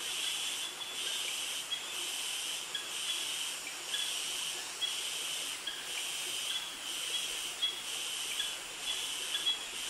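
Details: Cicada chorus in a Krabi, Thailand tropical forest, a male mating song. A shrill, steady hiss throbs in regular pulses roughly every second, filling the whole stretch with no other clear sounds.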